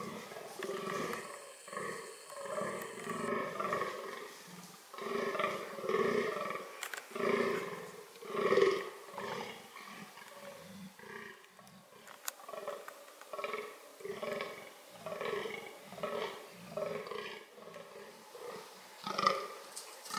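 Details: Deep, rhythmic groaning of a fallow deer tied to its reproductive strategies, a long steady series of hoarse belches repeated roughly twice per second for about twenty seconds, occasionally louder, with faint clicks behind.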